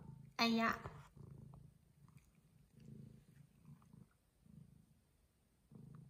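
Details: A Bengal cat that has just caught a crane fly gives one short, bright chirp, followed by soft, low, rumbling purr-like bursts that come and go in quiet pulses indoors.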